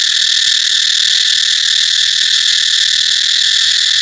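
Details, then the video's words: Cicada in Thailand producing a loud, continuous, steady buzzing drone with a rapid pulsing texture and no pauses, filling the whole recording. "cicada เสียงจั๊กจั่น"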